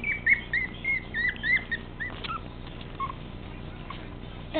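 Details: Spunky teacup Chihuahua puppy weighing 13 ounces, said to act like a Doberman, gives a run of short, high, whiny squeaks over the first two seconds, then fainter single whimpers, with a person speaking softly nearby.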